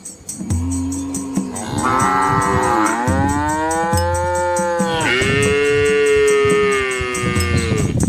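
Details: Large herd of red Asian village cows crossing a small river with calves in lush countryside: sustained, overlapping bellowing moos lasting several seconds, rising then levelling, with steady low tones beneath.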